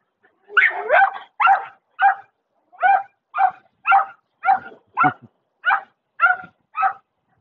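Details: German Shepherd barking in a steady string of about a dozen short, sharp woofs, roughly two per second, with no other clear sounds.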